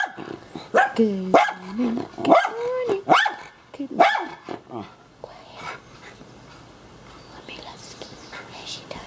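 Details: Two happy mini schnauzers, the blind Kishka and young Lapi, greet their owner in the morning with yelping barks and whines that bend up and down, tapering into quiet rustling and soft voices.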